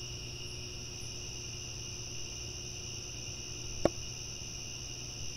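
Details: Crickets at night: an unbroken, even high-pitched trill sounding on two bands at once over a low steady hum, with a single sharp click close to the end.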